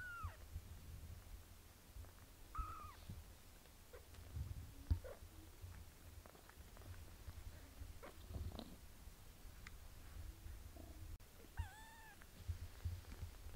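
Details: Kitten Pinky, a domestic cat, being bathed by her mother Melania: thin, high mews with clear overtones, bending down in pitch, heard near the start, around the third second and again near the end, over a steady low hum and soft licking noises.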